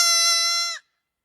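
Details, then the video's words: Goat from a compilation of humanlike goat screams: one loud, flat, strongly tonal scream lasting under a second, cut off abruptly, then silence. "Is that a Human or a Goat? Hilarious Screams Compilation!"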